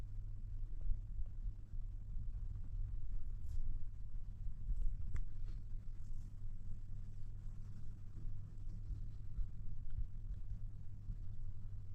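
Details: Steady low rumble with a few faint scattered clicks and no animal voice.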